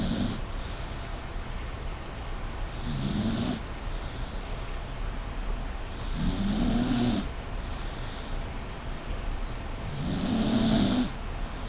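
Deep, throaty snores from a sleeping Dachshund rise and fade in a steady rhythm, one every three to four seconds. A faint hiss of room noise sits underneath the low rattling breaths.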